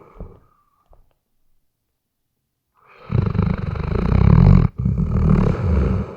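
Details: Asleep and snoring, a Weimaraner recorded with a RODE NTG3B microphone: near silence with a faint sniff at first, then a long, loud, grating snore rumbling continuously through the final three seconds.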